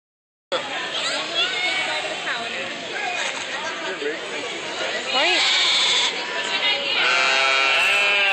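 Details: Several sheep bleat in wavering, quavering calls that overlap as more of them chime in, with a person talking over them; cows are also said to be present.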